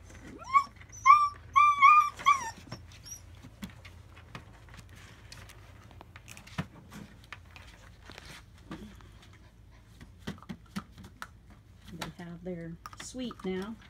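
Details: German Shepherd puppies, AKC registered, in north central Florida in July 2017: a quick burst of about five high, wavering whimpers in the first seconds, then scattered clicks and shuffling, and a few lower, drawn-out whines near the end.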